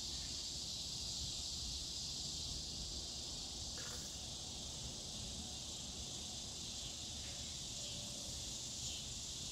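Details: Dog day cicada, the scissor grinder (Neotibicen pruinosus), droning in a continuous shrill buzz at an even level, with a couple of brief faint clicks and a soft low background hum.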